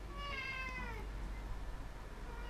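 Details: Domestic cat indoors, called kicsi cirmi, perched in the middle of a table: one drawn-out falling meow lasting about a second, then quiet room noise with a low hum.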